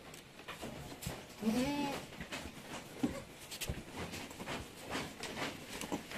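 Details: Goat bleat at Terra Grande Farms, San Carlos City, Negros Occidental, Philippines, during kidding as seven kids are born in one day; a single short wavering bleat rises and falls beneath speaking voices and room noise.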